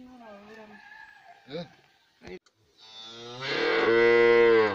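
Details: Cattle being milked on a ranch in the Sierra de San Dimas, Durango. A loud, drawn-out, low, richly harmonic moo fills the last two seconds. It follows a few brief, quieter, mixed sounds.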